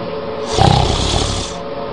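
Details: A sleeping cat snores in one long, rough, breathy rasp lasting about a second, rising and fading over steady low background noise.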